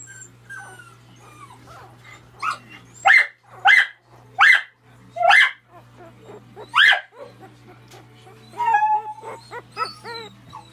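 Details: Miniature dachshund puppies, AKC registered, giving a run of five sharp high yips around three to seven seconds, then softer whining squeaks and whimpers, with a steady low hum underneath throughout.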